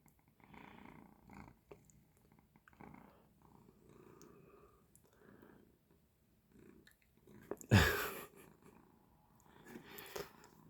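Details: Pet cat indoors, resting after waking its owner in the night wanting to eat; gentle purring pulses in the first half, then a loud rustling crash and faint further purring.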